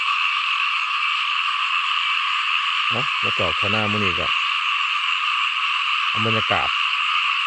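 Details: Small frogs heard in rice fields, producing a rapid burst of several throaty harmonic croaks, then a pair of croaks a few seconds later, set against a constant shrill droning chorus.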